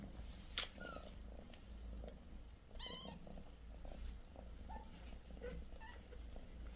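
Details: Sixteen-day-old British Shorthair kittens, four in the litter with mother Bassy. A deep continuous purr underlies several short, high, harmonic kitten mews scattered across the seconds.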